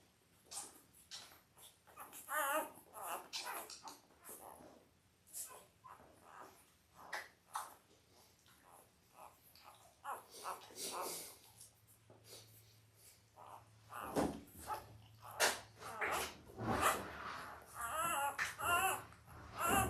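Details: Belle's eight Labrador Retriever puppies, five days old and born October 15, 2023. Scattered thin whines and squeaks overlap with rustling and shuffling as the litter moves about, with a louder burst of cries near the end.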